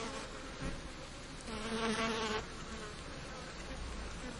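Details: Flies buzzing around a bin, one brief droning hum rising for about a second against a steady, hissy background before dropping back into the noise.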